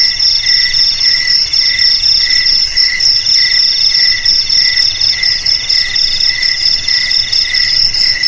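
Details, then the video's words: Cricket chorus meant to drive rats from houses, garages, warehouses and paddy fields. A continuous piercing trill sits above a lower throbbing trill with a regular pulse. No other animals or voices. "Suara JANGKRIK Pengusir TIKUS Paling Ampuh untuk di Rumah,Garasi,Gudang,Sawah Agar Aman dari TIKUS"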